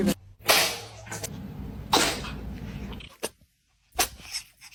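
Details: Winky the pet cat sneezing indoors: a few short, sharp broadband bursts spaced over a couple of seconds, separated by quiet gaps, with faint room noise.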